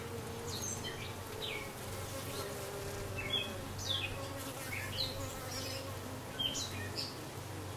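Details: Newly arrived dark honey bee queen, recorded 6/5/13: steady low droning hum with layered overtones that holds throughout, while bright short bird chirps and whistles dot the background.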